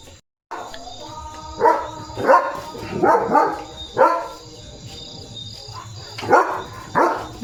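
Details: Leo, a German Shepherd, barking on alert duty after a bath: loud harmonic barks in short bursts around 1.6 to 4 seconds and again near 6.5 seconds, over background music.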